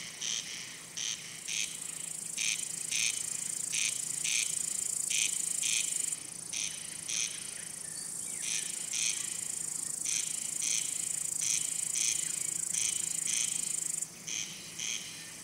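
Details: Male cricket, which makes its sound by rubbing its wing covers to attract or court females or scare off rival males. Short pulsed chirps repeat about every half second over a steady high-pitched insect hiss that drops out briefly.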